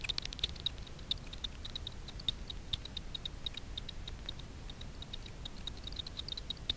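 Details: Daubenton's bats hunting insects on the water surface over Miedwie lake in north-west Poland at night, picked up by a frequency division ultrasound bat detector. Steady train of short, dry ticks at an uneven rhythm over a low rumbling background.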